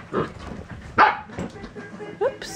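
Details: Red and black standard poodle puppies from a first litter, almost eight weeks old, play together indoors after days of rain. Two sharp, short barks ring out, then a brief rising whine, with a woman speaking softly.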